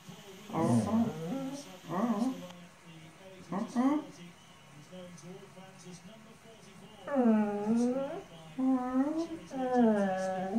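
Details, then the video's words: Old English Sheepdog Boo talking to her owner indoors in a small room: short groaning, moaning bursts, then three longer drawn-out woo-woo sounds that rise and fall in pitch, separated by brief pauses. "Old english Sheepdog Boo talking to our dad."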